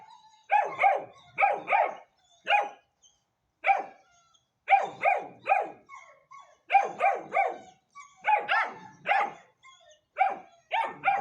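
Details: Young Hanoverian Scenthound, ten weeks old, giving insistent high yaps in clusters of two or three with brief pauses between, keeping up a steady rhythm.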